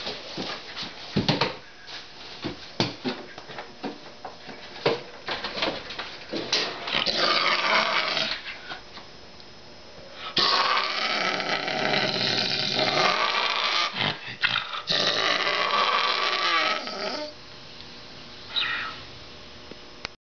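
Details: A male Canada lynx, a bottle-raised educational ambassador, gives harsh raspy growls in drawn-out bursts of several seconds while guarding his chicken leg at feeding time; growl.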